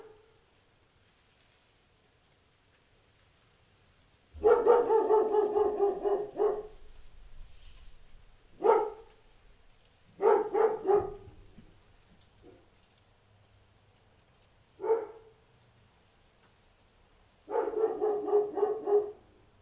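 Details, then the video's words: Dog barking outdoors in rapid bursts and short volleys, some barks stretched and rough, separated by brief pauses, over a low background rumble. "1 HOUR Dog Barking Outside"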